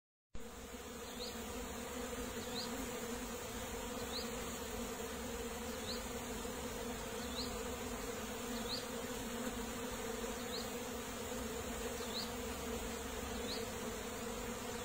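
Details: Bees buzzing in a steady, low droning hum with layered tones, joined by faint short high chirps repeating about every one and a half seconds in the background.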